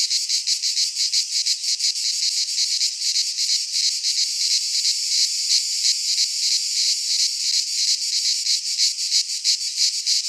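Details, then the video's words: In a Greek pine forest at midsummer, cicadas keep up a piercing buzzing chorus with regular rhythmic swells about three per second, uniform and uninterrupted. "Cicadas singing in midsummer - Nature sounds from the Greek fauna - Sounds of cicadas"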